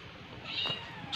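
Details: Domestic village cat, a non-pedigree pet and one of several household cats, gives a short high meow that rises and falls, then a sharp knock right at the end.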